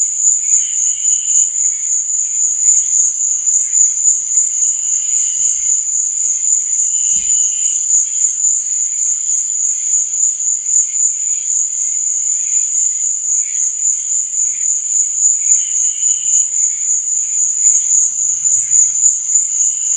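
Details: Night cricket chorus: one shrill, continuous pulsed buzz runs throughout, while short lower chirps repeat every few seconds underneath.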